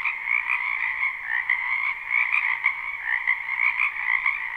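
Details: Spring wetland frog chorus recorded live: countless croakers overlap into a steady, shimmering trill, with individual rising notes poking above the constant buzz.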